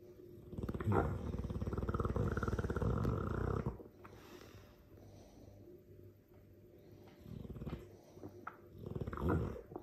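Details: A sleeping Dogue de Bordeaux snoring loudly: a long rattling, throaty rasp lasting about three seconds, then quieter breathing and softer snorts building again toward the end.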